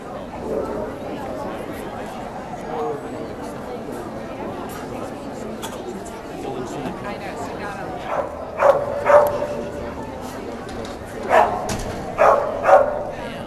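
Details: Hardy, a 12-month-old Samoyed puppy, in Ventura in January 2009: after a stretch of background talk, two pairs of short, sharp barks come near the end, with voices throughout.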